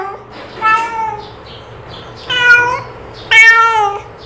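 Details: Three drawn-out calling meows from a cat, clear and harmonic, the later two louder and slightly falling at the end, spaced about a second apart over a faint steady hum.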